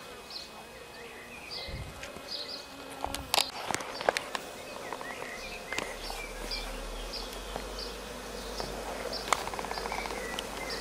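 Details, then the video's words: Honey bee swarm settled for several days on a rose bush and beginning to build comb; a steady low buzz of many bees with scattered clicks and a few short faint chirps from other birds or insects. "Abeilles. Essaim posé sur un rosier"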